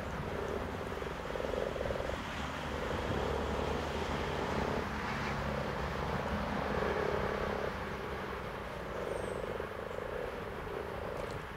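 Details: Several grating, purring common frog croaks come in short bursts, one after another. A faint, distant engine drone runs throughout.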